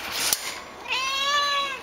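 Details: Young black female cat, very vocal and talkative, confined in a tiny kennel at an animal shelter in Austin, Texas, wanting out; a brief click, then one long drawn-out meow with a rich harmonic tone, held steady before fading.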